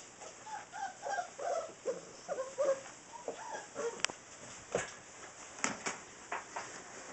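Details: Six-week-old Saint Bernard puppies whimper in a cluster of short wavering squeals early on, then quieter sounds with a few sharp clicks and knocks.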